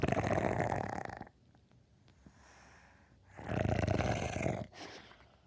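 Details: Cute dog snoring indoors: two long, rough, rasping snores, each lasting over a second, separated by a quiet pause of about two seconds, with a short snort-like puff at the end.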